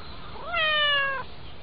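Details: Domestic cat being petted, giving a single clear meow lasting under a second, rising slightly then holding a steady tone with strong harmonics before stopping abruptly, over faint low background rumble.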